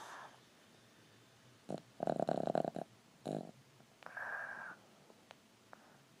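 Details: A tiny Boston Terrier foster dog snores in rattling, fluttery bursts, ending with a thin whistling breath.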